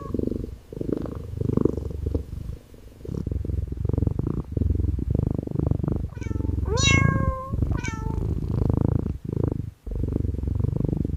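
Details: Calico kitten resting on wooden stairs, affectionate and purring close to the microphone: a deep rumbling purr in steady pulses throughout, broken midway by a short sequence of small sliding mews.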